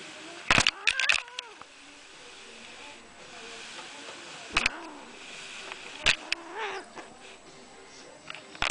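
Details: Upset pet cat, a female, protesting while being filmed: two wavering, bending meows close together near the start, another shorter drawn-out cry around the six-second mark, separated by sharp knocks and clicks over a quiet room background.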